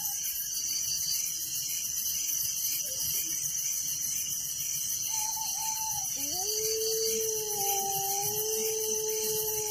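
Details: Village crickets at night keep up a constant high shrill trill, while a drawn-out tonal call, like a rooster's crow, enters near the end and holds in two pitched layers.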